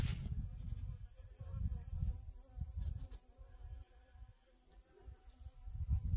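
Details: Sunflowers in a garden on August 25th 2021 hold honey bees collecting pollen; a faint, continuous droning buzz with layered overtones sits beneath heavy low-pitched wind rumble.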